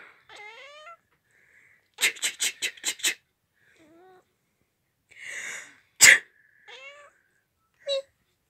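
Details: House cat giving short meows that answer human sneezes, mixed with a rapid run of five loud clicks or taps, breathy noise bursts and a sharp sneeze.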